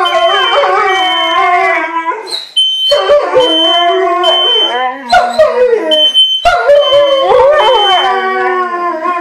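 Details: Two pet dogs, a Siberian Husky and a German Shepherd, howl when the kitchen smoke alarm goes off; long mournful howls bend up and down in pitch, pausing briefly as the alarm's shrill intermittent tone cuts through.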